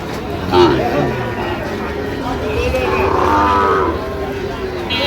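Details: Sahiwal breed bull calves at a market, with a Sylhet farmer buying, 8 October 2025: a long, wavering moo swells in the middle and fades, under constant crowd murmur and men bargaining nearby.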